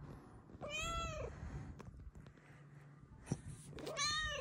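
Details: Indoors, Luna Bear, a blue-eyed female Bengal cat, lets out one clear rising-and-falling meow, then a pause and the start of a second meow over low room noise.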